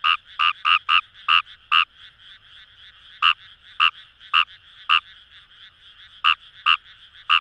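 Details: Fejervarya kawamurai in paddy fields of Itoshima, Fukuoka, Japan, near the Kamo River: loud, close croaks start as a rapid burst of six, then slow to single notes about half a second apart, with a frog chorus behind.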